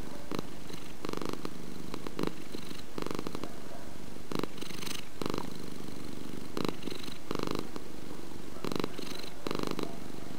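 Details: Purring domestic cat, a continuous deep vibrating rumble that swells in short bursts about every second, following the rhythm of the cat's breaths in a quiet indoor setting.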